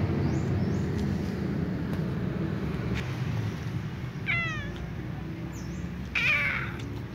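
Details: Ginger cat, a female, waking up after sleeping on her back, giving two short high chirping meows a couple of seconds apart, the second brighter, over steady loud background hum.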